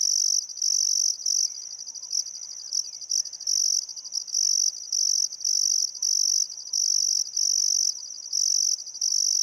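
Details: Australian crickets at sunset on a still summer afternoon by the Barcoo River, Welford National Park, Queensland outback: high shrill pulsed chirps in rapid uneven bursts, some broken into stuttering pulses, faint distant birdcalls underneath.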